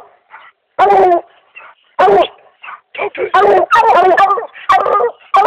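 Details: Dog baying at a raccoon it has treed in 2008; loud, harmonic bawling barks in short bursts, some drawn out, with brief pauses between them.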